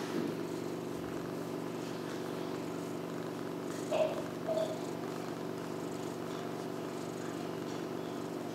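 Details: Tiger, a female cat attached to her owner, purrs in a steady low rumble throughout, broken by two brief faint chirps near the middle.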